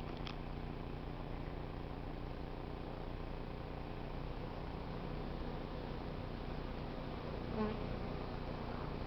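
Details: Swarm of honey bees taken from a crape myrtle tree in South Pasadena and hived, stray bees lining into the entrance while some fan their wings; continuous low buzzing drone, with one brief faint tap near the end.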